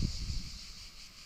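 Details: Cicadas singing along the coastal trail at Cap Sicié, France: a steady, high, shimmering buzz held through the whole moment, over low wind rumble and a few soft thumps at the start.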